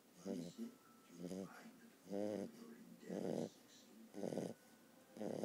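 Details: Archimedes, a sleeping puppy, snoring steadily: rasping, buzzy snores that come roughly once a second, about six in a row, with quiet pauses between breaths.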